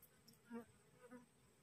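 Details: Honey bees from a newly split colony cluster on a cassava plant on a hot day. Two short buzzy pulses rise over a soft background drone.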